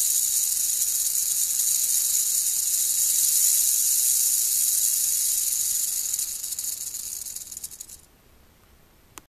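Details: Female black-tailed rattlesnake (Crotalus molossus molossus), captive and set alone in a box for feeding, rattling loudly: a continuous dry, high hissing buzz held steady for about six seconds, then fading and stopping near eight seconds.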